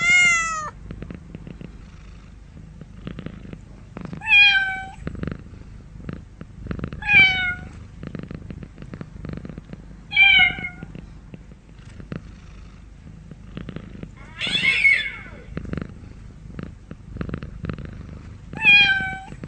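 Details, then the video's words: Cat meowing repeatedly, about every three seconds, each call a brief bright harmonic cry that drops in pitch, over a constant low rhythmic purr-like throb. "real cat sound"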